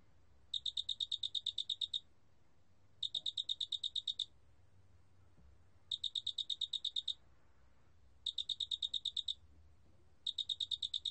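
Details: Large spotted cricket recorded by Korea's National Institute of Biological Resources, 2020: five bursts of about twelve sharp, evenly spaced high chirp pulses, each burst lasting about one and a half seconds, separated by short silences over a quiet low hum.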